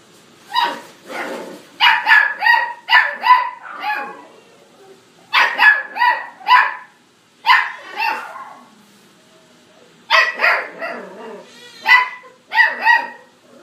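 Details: A female brown tabby Scottish Fold cat, born 21 August 2018, mews in quick clusters of short, high-pitched, clipped, harmonic calls, the groups repeating every few seconds with quiet gaps between.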